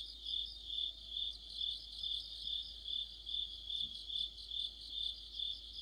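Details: Autumn night-style insect chorus of crickets and others, a piercing high chirring that throbs in steady, evenly spaced pulses, about fourteen across the stretch, over a quiet background.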